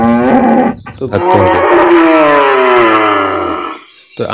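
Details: Cow on a village farm giving a long, loud moo with strong harmonics that wavers and slowly falls in pitch over about three seconds, after a short opening call; a brief sound at the very end.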